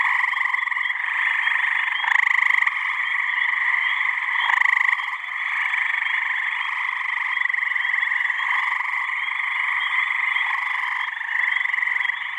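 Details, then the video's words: Springtime mating chorus of many male gray tree frogs in a New Hampshire pond on a warm May evening, a deafening wall of overlapping trilled calls with louder individual trills surging out around two and five seconds. "Gray Tree Frog mating call"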